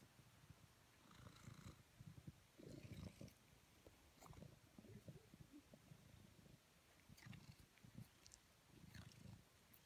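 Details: Tijger, a pet house cat in Amersfoort, purrs while being cuddled: a low rumbling purr that swells and fades in bursts about every second, with faint higher clicks and rustling from handling.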